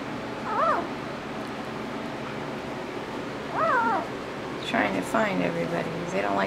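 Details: One-week-old puppies from the Roxy and Judd litter born 8/26/11, wobbling about and trying to find each other. High, arched whimpers rise and fall near 0.6 and 3.6 seconds, then a run of overlapping squeals, over steady room hiss.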